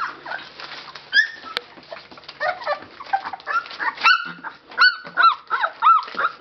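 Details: Several Labrador Retriever puppies, 19 days old, at a Belgian kennel, Labradors Yochiver. Scattered whimpers at first, then clear arching whistle-like squeals repeated roughly every half second near the end, over soft rustling.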